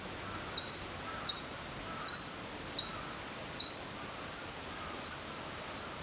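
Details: Hokkaido chipmunk, well away from the recorder on Maruyama, Sapporo, in September 2014, repeating sharp high chip notes at an even pace of about one every 0.75 seconds against soft ambient noise.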